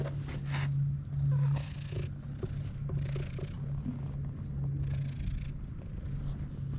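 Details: Community cat on a Japanese cat island, where cats live in a disused school, filmed with a GoPro HERO8: a steady low rumbling purr, swelling and fading in pulses, with soft rustling and scattered faint clicks.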